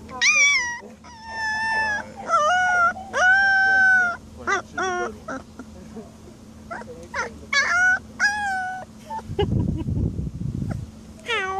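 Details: Alaskan Malamute indoors, giving a run of drawn-out, harmonic howls and woo-woo vocalizations in short bursts, some rising then falling. Brief pauses separate them, and a burst of broadband noise comes near the end.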